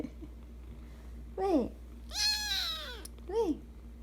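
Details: Persian Chinchilla kitten named Kkung, a pet kept indoors, gives three high meows: a short rising-falling one, then a longer, fuller, slightly wavering cry, then a brief bent mew. A steady low hum sits beneath throughout.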